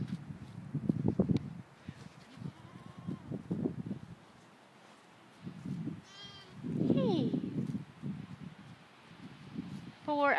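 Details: Lambs four hours old, still a little dirty, with their mother in a field, checking out the world. A few brief, wavering bleats rise between stretches of nearby human talking and low rustling; a sharper bleat closes the clip.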